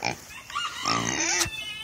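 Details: Two Kunekune pigs at dinner time heading for their food tray, squealing: a strained, tonal, rising squeal lasting about a second, preceded by a short grunt and ending with a sharp click.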